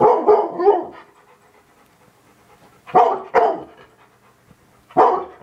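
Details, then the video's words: Domestic dog barking at a TV: a quick burst of three harsh, rough barks, then a pause, two barks close together, and a final single bark, with quiet background between. "Dog barking at tv"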